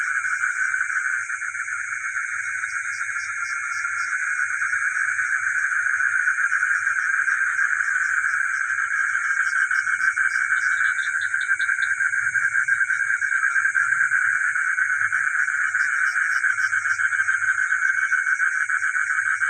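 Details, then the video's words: Village frogs at night form a thick, continuous wall of rapid pulsed trilling, overlaid by a constant high-pitched whine, with a few soft low thumps late on. "the sound of frogs and geckos at night in the village"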